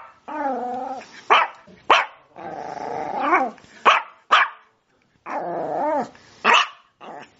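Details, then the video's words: Sprocker spaniel giving long, wavering, whining howls that rise and fall, broken by short sharp barks, then another drawn-out whine with more barks. "Dog Barking sound"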